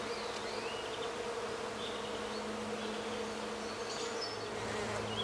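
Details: European orchard bees (Osmia cornuta) give a steady, low, unbroken droning buzz on the first warm day, 10 March 2017 at 18°C, in countryside of central France, Nouvelle-Aquitaine, with faint high bird chirps behind.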